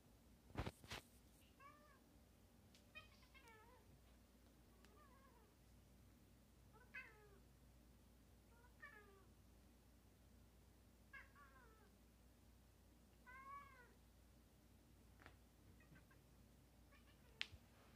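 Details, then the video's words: Pestering house cat meowing insistently: about eight short rising-falling meows spaced roughly every one to two seconds, with a few sharp knocks and a steady low room hum beneath. "Pesty cat meows"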